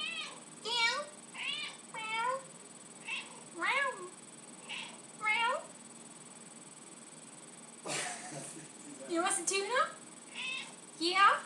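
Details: Pet cat Lucy, extremely vocal when she wants tuna, gives a series of short harmonic meows roughly every second or two inside the home, with a person talking to her between calls.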